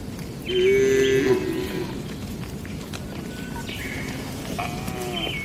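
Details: Cattle in a traditional village shed at night: one short bright moo at about one second, then faint distant lowing and a brief higher call near the end over a constant hiss of night background.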